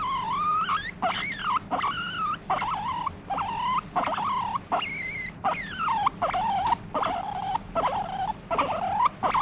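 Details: Pet guinea pig calling out while wanting to be stroked: a long series of loud, high wavering wheeks, each about half a second, with rising and falling pitch, repeated with brief gaps.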